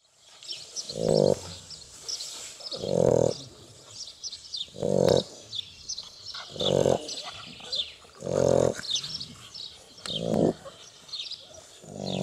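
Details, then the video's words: Two Shar Pei puppies sleeping after a hard day of playing, snoring in steady breaths: a rough, low rasping snore about every two seconds, seven in all, with quieter soft breathing between and faint high hiss above. "Shar Pei Puppies Snoring | Cute Snoring Shar Pei Puppies"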